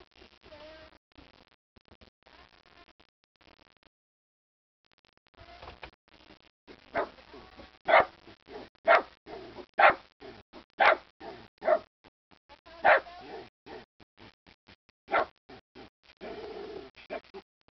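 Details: A pet dog barking while angry about something: a burst of loud, sharp, harsh barks repeated roughly once a second, with quieter low grumbles and whines before and between them.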